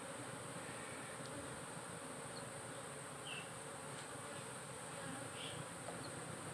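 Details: Honey bee hive under modern smartphone-linked monitoring, the colony giving a constant, thick buzzing hum from start to finish with only slight swells and no other clear sounds.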